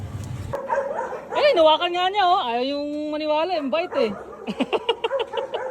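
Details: Belgian Malinois, one of two dogs named Luna and Dax, producing a drawn-out, wavering whining howl that rises, holds, then falls, followed by short yelping notes, with human speech before it.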